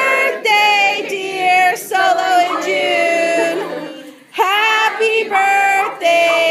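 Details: Several voices sing together in sustained, wavering harmonies, pausing briefly around the fourth second before resuming, with no animal sound present.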